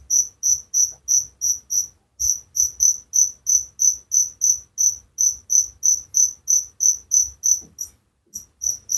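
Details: Steady cricket song for relaxation: bright, high chirps in a regular run of about three per second, with short pauses near two and eight seconds, otherwise quiet.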